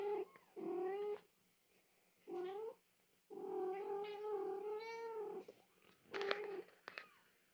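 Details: 15-day-old British Shorthair kittens, a litter of one female and four males, give thin, wavering mews in short bursts.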